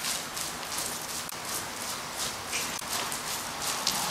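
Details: Hoof strikes of Dennis, a horse back under saddle after an anemia break and full of energy again, fall fast and uneven as dense gritty crunches, with no other clear sounds.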